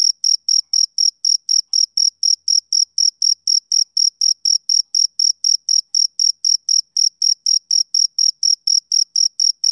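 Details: Rhythmic, even chirps from a male cricket on a summer evening, a continuous train of shrill pulses close to four per second with no other sounds.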